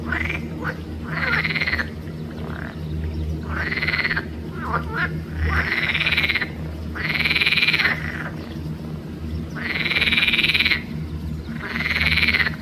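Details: Green frogs of the genus Pelophylax calling at Arboretum Volčji Potok on 5 June 2024: loud, rasping, pulsed croaks lasting about a second each, repeated in bursts every two seconds or so over a low steady hum.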